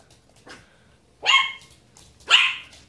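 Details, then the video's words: A female Pomeranian puppy barks at a broom with two sharp, high-pitched yaps about a second apart. "Pomeranian puppy barking at broom!"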